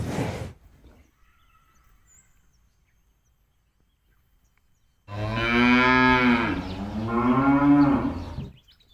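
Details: Cattle released onto an empty rice field to eat grass and play; after a brief thump and a long quiet pause comes one sustained, rich moo lasting about four seconds, dipping then rising in pitch.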